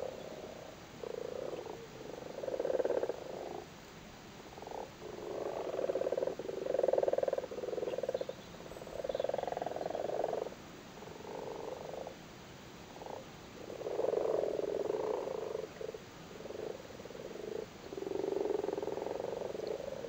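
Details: Male Irish frogs on their spawn in a flooded cattle grid in Cork during spawning time: a continuous chorus of purring, pulsed croaks rising and falling in bursts of one to two seconds, almost without pause.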